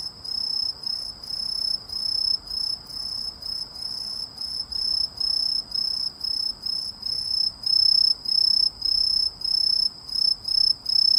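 A cricket sings a steady, high, pure-toned trill broken into rapid bursts with brief pauses.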